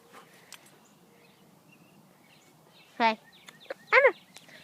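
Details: A dog gives two short, loud, harmonic barks about one second apart near the end. Before them a person speaks commands like "drop it" and "sit" and praises the dog with "good boy" over quiet outdoor background.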